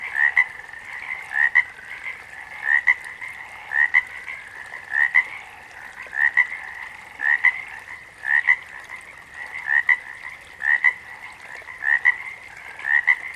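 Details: Repeated frog croaks, each a quick double note, coming roughly every second and a quarter for eleven calls, set against a constant shrill background chorus of more calling frogs.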